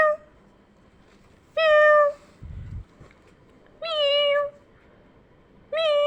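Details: Meowing heard by kittens indoors: three clear, level meows spaced about two seconds apart, each ending in a slight downward bend, with a soft low thump between the first two.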